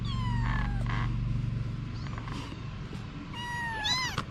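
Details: Mother cat Anna with her kittens. A high, falling meow with bright harmonics sounds first, then, after a pause, a rising-then-arching meow near the end over low steady background hum.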